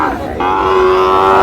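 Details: Sahiwal bull calf at a cattle market near Sylhet, Bangladesh, on 22 May: one loud, drawn-out moo that starts rough and settles into a steady, nasal bellow lasting over a second.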